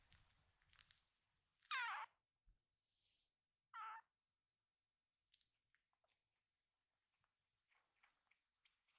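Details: Rescued kitten Ama calling the other little kittens together: two short, rough, breathy cries about two seconds apart over a faint hiss, with scattered soft taps afterward.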